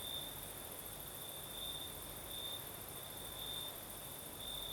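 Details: Singing crickets on a Crimean night in the south with a light night breeze: a thin high chirr pulsing at regular intervals, faint and continuous, set against a broad hiss of moving air.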